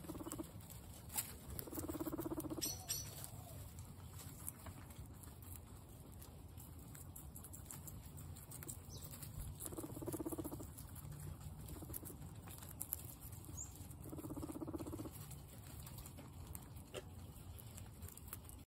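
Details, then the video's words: A startled pet guinea pig gives three short, muffled bursts of sound about 2, 10 and 14.5 seconds in, low and quiet over a steady background hiss and low rumble. "Guinea pig Coco was startled"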